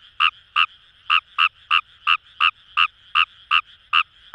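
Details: Fejervarya kawamurai from paddy fields by the Kamo River in Itoshima, Fukuoka, Japan: quick clipped croaks, bright and somewhat metallic, coming almost three per second at irregular gaps against a low background chorus.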